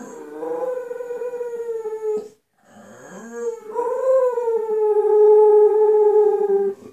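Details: Singing Bull Terrier Gloria gives a long level howl, pauses, then slides up into a second drawn-out, gently falling howl with strong harmonic overtones.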